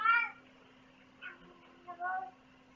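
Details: Cat giving a short, clear harmonic meow at the start, followed by two fainter, briefer mewing sounds with a steady low hum in the background.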